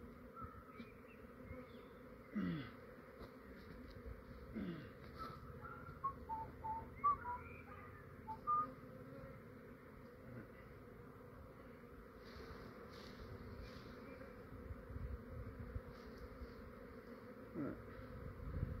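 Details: Honey bee swarm in a residential yard in Australia, a fair-sized and quiet cluster on a branch being captured by a beekeeper; a steady low droning hum runs throughout, with faint bird whistles above and occasional handling knocks.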